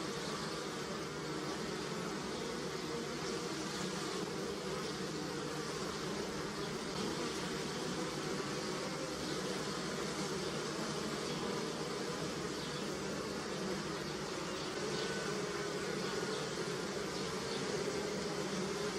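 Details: Around apple and pear flowers, a crowd of honey bees keeps up an unbroken, even humming drone, with occasional louder wingbeat passes over the steady buzz.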